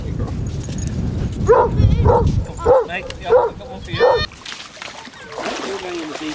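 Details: Basset Hounds, part of a group of 24 walking five miles along Burnham and Berrow beach, Somerset, on 2 February 2014: a run of about five short, hoarse barks over three seconds, with people talking nearby.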